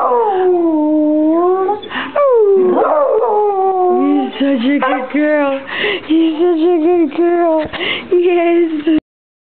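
A beagle howls in long, drawn-out notes that slide downward and waver between short breaths.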